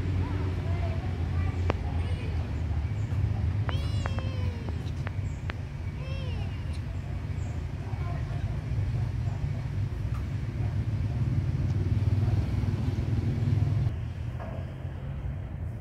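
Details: Kitten being given food, mewing in short rising-falling bursts around the fourth to sixth seconds, with a person speaking and a steady low hum underneath.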